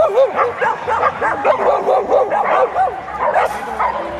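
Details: Great Pyrenees dogs at the FCI Kanagawa International Dog Show 2019, held at Pacifico Yokohama in Japan; a rapid run of short, high-pitched yips and barks, several overlapping, repeated about twice a second amid a noisy indoor hall.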